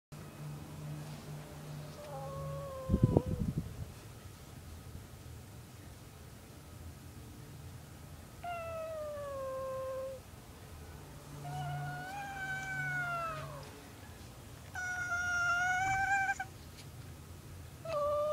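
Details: Domestic cat meowing in his sleep while dreaming: several drawn-out, harmonic meows, some falling in pitch and some wavering, spaced a few seconds apart, with a brief thump near the start and a faint low hum throughout.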